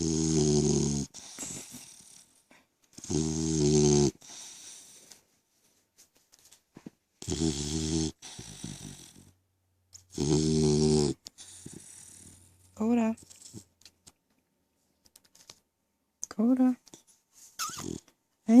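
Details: A sleeping 3-month-old French Mastiff/Pitbull mix named Koda snores steadily indoors, with four coarse, rattling snores spaced about three seconds apart. Short voiced sounds that rise in pitch follow near the end.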